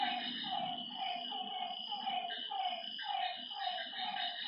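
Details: Frogs at a lake after dark give pulsing croaks about twice a second in a busy, overlapping chorus. A steady high-pitched hum from other night creatures continues, and a low murmur sits beneath.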